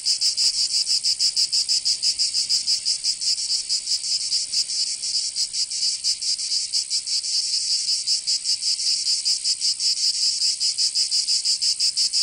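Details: Cicadas in Provence, southern France, singing in summer: a continuous, piercing high-pitched drone with a looser, uneven throb, unbroken from start to end, with no other sounds.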